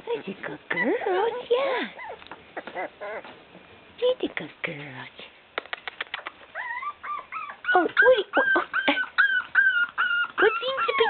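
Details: Female Shiba Inu puppies, five weeks and two days old, whimper and yip in high, whiny bursts. The calls come thick and fast in the second half, mixed with a woman's soft baby-talk to them.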